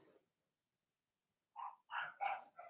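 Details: Cavalier King Charles Spaniel puppies from a litter of six Blenheim pups, two females and four males, in a home puppy pen: a faint short sound, a pause, then four quick yappy barks with bright harmonics close together.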